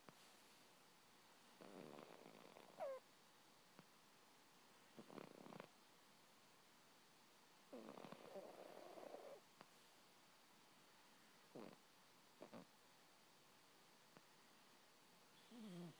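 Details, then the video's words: Sleeping house cat named Peepers, female, snoring in short, irregular breathy bursts a few seconds apart, some rattly and some with a faint whistled edge, with quiet gaps between them and no other sounds. "Snoring Kitty"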